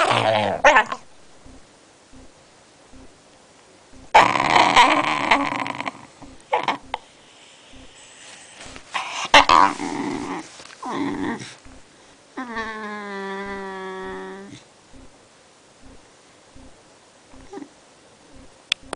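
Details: Sleepy Basenji growling in anger at the camera: rough grumbling bursts, then a sustained, clear, whining yodel-like cry of about two seconds, followed by quiet breathing.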